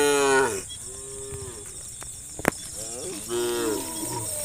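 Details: A roaming herd of cattle in the countryside, calling to their friends. A loud moo at the start fades into softer distant lows. A sharp click sounds midway, then another moo rises and falls near the end.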